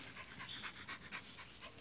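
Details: Excited pinschers waiting to have their walking leashes clipped on pant in quick, breathy bursts, several per second, with faint squeaky whimpers.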